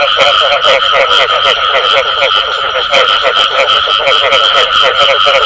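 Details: Frogs, including the "bù tọt" call, croak in rapid pulses over a steady, high insect-like hum.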